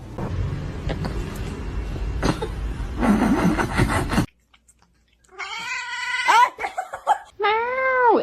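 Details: Kitten meowing: after several seconds of muffled noise and a brief silence, a run of bright, harmonic meows, some wavering and others arched, rising then falling, ending with one long drawn-out cry.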